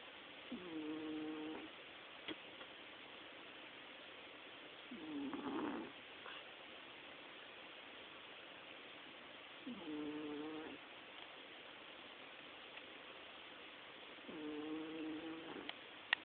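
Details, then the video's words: Chihuahua snoring in its sleep: slow, regular snore breaths roughly every four to five seconds, each a nasal, slightly whistling drone of about a second, in a quiet room. "My Chihuahua snores"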